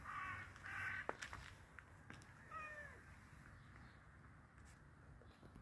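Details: Hungry cat being fed calls with two quick, high meows, then a longer bending meow a second later, over low household background noise and light clicks.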